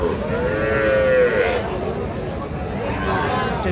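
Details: Cattle at Raniganj cattle market on 17 November 2025, where small bulls and heifer calves are sold: a single drawn-out moo with a steady, low tone lasting about a second, over a constant murmur of crowd and market noise.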